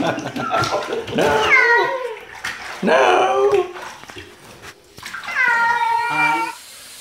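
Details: Domestic cat producing odd noises amid human voices: several short, sliding meows rising then dropping, the last a clearer, level wail, with speech and room noise around them.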